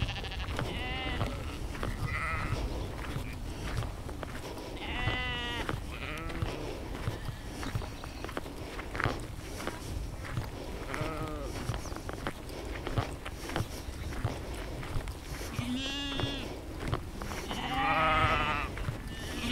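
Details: Flock of sheep captured in immersive 360-degree field audio using an Insta360 X3 and Zoom H2n; repeated tremulous bleats from several animals at varying distances, overlapping a constant low-frequency background noise.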